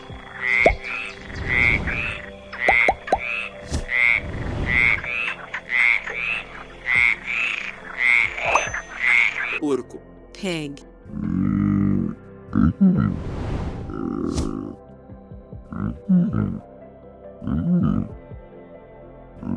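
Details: Frog croaking in a rapid run of short, evenly repeated calls for about ten seconds, followed by scattered lower grunting sounds and other noises.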